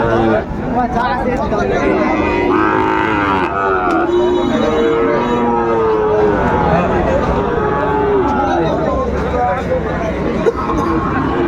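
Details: Busy cattle market in Kushtia, Bangladesh, 13 February 2025, with Sahiwal breed bull calves on sale: a long, sliding moo stands out among other bellowing cattle, while buyers and sellers talk loudly throughout.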